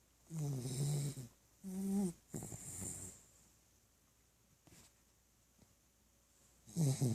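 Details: Snoring from Tebow, a pet dog: two low, rattling snores about a second apart, each a buzzy droning tone, then a hissing breath, a quiet pause, and another snore starting at the end.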